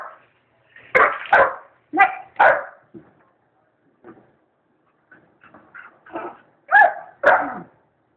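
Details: Twelve-week-old Irish Wolfhound puppy barks at a cat eating from its bowl: paired harsh barks, then quieter whines and yips, ending in two more loud barks.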